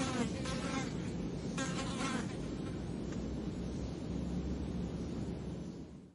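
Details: Flies buzzing periodically, with two brief, strong humming passes early on, then a fainter drone that fades away at the end over a low rumbling background.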